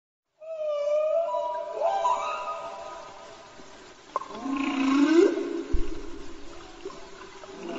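A whale gives long, tonal moaning calls that slide upward, rich in harmonics.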